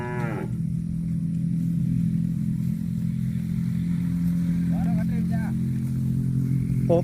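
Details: Cow lowing in one long, deep, unbroken moo that holds an even low pitch for about seven seconds. A short higher wavering note comes at the very start and brief tonal bits come near the end.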